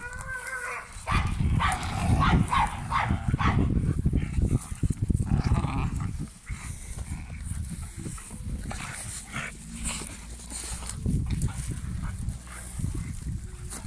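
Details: Young male Cane Corso in a red collar, keen on work and with strong prey drive, letting out a few barks early on, then steady deep rumbling growls, with some human voices in the background.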